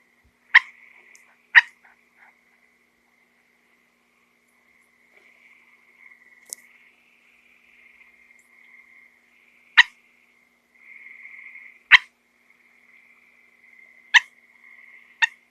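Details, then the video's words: Small frog inside a house, its strange sound drawing the cats to huddle around it: sharp clicky chirps come in irregular pairs and singles, about seven across the stretch, over a thin continuous high-pitched hum. "Frogs make weird sounds."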